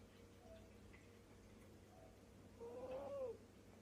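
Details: Sleeping cat snoring contentedly, heard as a single faint whistling breath that rises slightly and then drops near the end, with a steady low hum from a quiet room.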